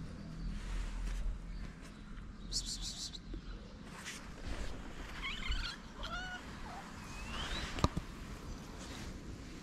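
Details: Stray calico cat on a Moroccan street begging for love and food, giving short, soft, wavering mews near six seconds and a higher rising mew later, with a sharp click and constant low wind noise.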